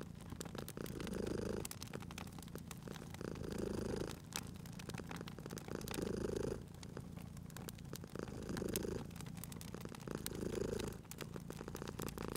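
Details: Sleeping cat purring beside a crackling fireplace in a cozy spring setting; low rumbling purr swells and fades roughly every two and a half seconds, five breaths in all, over steady snapping and popping fire crackles.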